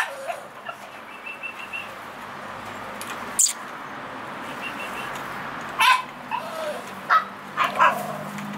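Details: Male American Bully puppy in Romania giving a few short, high yips and whimpers, the clearest near the end and spaced about a second apart, over a steady background hiss.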